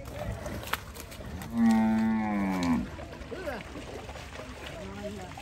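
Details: Cattle being unloaded from a truck at a busy village cattle market in Bangladesh; one long, loud, low moo with rich harmonics lasting about a second, amid crowd chatter and market noise.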